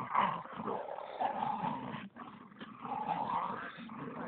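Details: Bull terrier growling while playing tug of war with a Staffordshire terrier; a continuous rough, rumbling growl with brief pauses, rising and falling in strength over a few seconds.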